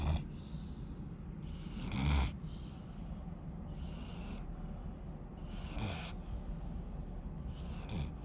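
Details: Rottweiler puppy asleep, snoring in soft airy breaths: broad hissy bursts roughly every two seconds, each pulled in and let out with a low rumble beneath, over a steady low hum.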